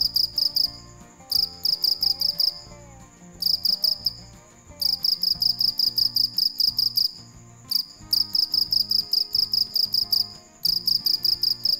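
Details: Cricket heard at night producing short bursts of sharp, high pulsed chirps separated by frequent brief gaps, with soft music running in the background.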